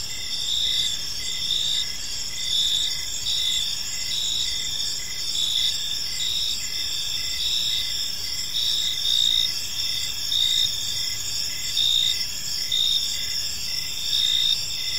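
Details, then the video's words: Long stretch of evening cricket song in a peaceful park: many insects trilling at once in a high continuous band, steady pulsed chirps repeating about once a second, faint low rumble beneath. "Park Serenade: Cricket Sounds in a Peaceful Park"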